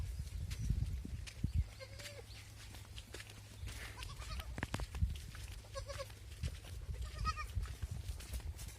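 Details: Beetal F1 and Assam hill goats bleating: several short, wavering bleats at about two, four, six and seven seconds, each rising and falling slightly, over a steady low rumble of background noise.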